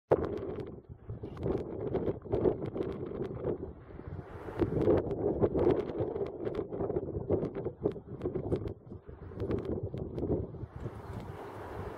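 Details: Steady wind buffeting the microphone with a low rumble and no clear animal calls.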